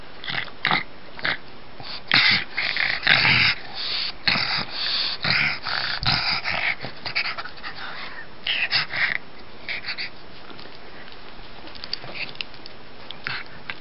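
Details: Gus the pug, a pet dog playing catlike, snorts and wheezes in rapid rasping bursts, about one a second at first, then fading into softer scattered huffs indoors.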